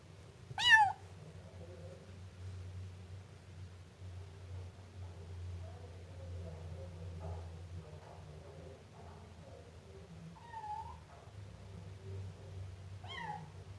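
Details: Siamese kitten with one sharp meow at the start, then two fainter meows near the end, over a steady low hum.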